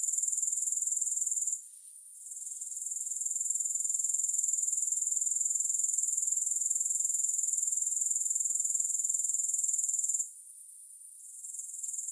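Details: High, buzzy grasshopper trill of rapid regular pulses, interrupted by two short quiet gaps, early and near the end, each time returning at the same pitch; no music.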